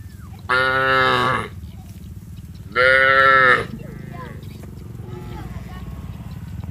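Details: Cattle from a village herd, heading together to the rice fields, call to their companions with two strong, nasal moos of about a second each, two seconds apart, then faint calls over a low background hum.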